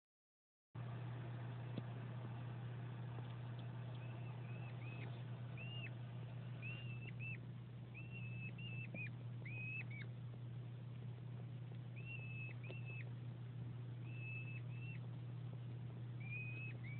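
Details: Male hedgehog Winston courting the female Delilah, the pair placed together for breeding, gives plaintive squeaks: short high flat-topped notes that drop at the end, in loose clusters of two to four, over a steady low electrical hum.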